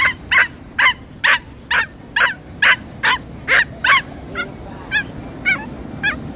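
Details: Female pinscher, stressed on arrival at the beach, barking and making a fuss: a fast run of about thirteen sharp, high yaps, roughly two per second, the later ones fainter, over constant beach background noise.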